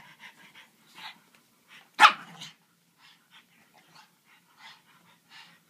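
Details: French Bulldog playing with a griffon: scattered short, sharp yelps and soft barks, with one loud harsh bark burst near the middle, then more brief yips and whines spread across the clip.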